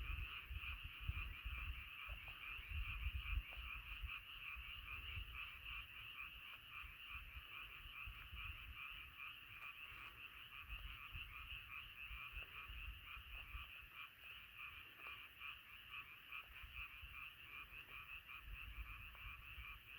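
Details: Frog chorus at night, many frogs calling together in a dense continuous layer of rapid pulsed croaks, with low rumbling noise underneath.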